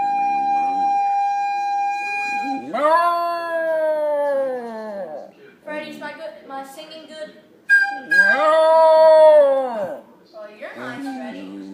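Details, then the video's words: Dog singing along to a flute: a steady flute note opens, then long arched howls with rich harmonics rise and fall for about two seconds each. The flute sounds again before a second howl, and a person speaks in between. "the singing dog"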